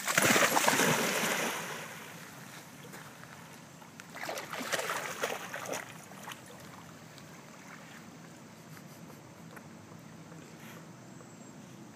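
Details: Splashing and sloshing water at a dog park, loudest in the first two seconds with another burst around four to six seconds, then a quiet watery background.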